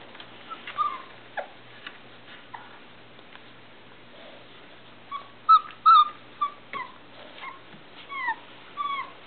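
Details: Several Irish Setter pups, three and a half weeks old, whine inside their box, wanting out: irregular high whimpers and yelps, sparse at first, then a denser run of rising and falling squeals in the later half.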